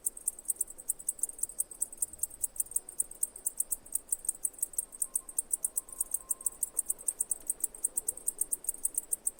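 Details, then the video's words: Cicadas singing: a steady train of sharp, very high-pitched ticking pulses, roughly five or six per second, evenly spaced throughout over a faint, quiet background. "Cicadas singing"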